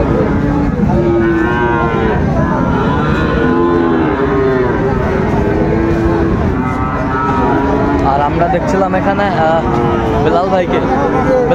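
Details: Sahiwal bull calves on sale at the Raniganj cattle market, Chattogram, Bangladesh, Monday 16 September 2024, in bad weather: repeated low moos, some rising then falling, from more than one animal amid a busy babble of voices.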